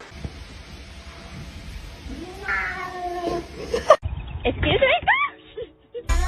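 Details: Kitten meowing: a faint drawn-out call midway, then a quick run of three or four short, arched, rising-and-falling meows near the end, over steady background hum with people talking.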